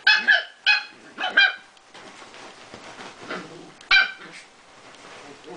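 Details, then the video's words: Small Prague Ratter at play gives three quick shrill yaps, falls quiet with faint rustling and low voices, then yaps once more near the end. "Prazsly Krysarik playing and making noises"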